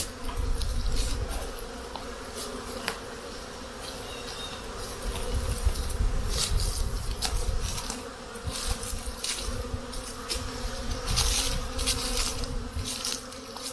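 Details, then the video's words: Honey bees at their hives in spring as the snow melts and the temperature reaches 50 degrees Fahrenheit: a steady low hum from many bees, with scattered sharp taps and knocks throughout. "Honey Bees Spring activity"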